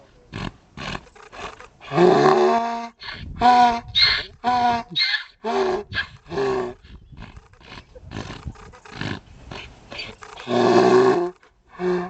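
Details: Harsh, heaving donkey bray with long grating harmonic blasts around two and eleven seconds, between choppy shorter gasps and rough clicking noise in the pauses.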